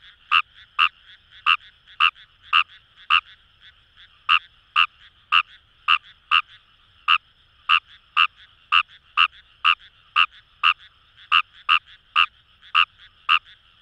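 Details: Fejervarya kawamurai in rice paddies near the Kamo River, Itoshima, Fukuoka: a long run of rapid, hard-edged clicking croaks, about two or three per second with one short pause, against a quiet background frog chorus.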